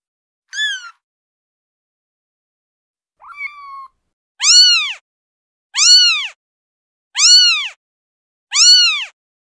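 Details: Female kitten meowing: six high, thin, arched mews, the first two short and separate, then four stronger rising-and-falling calls about every 1.4 seconds, clean and without background noise.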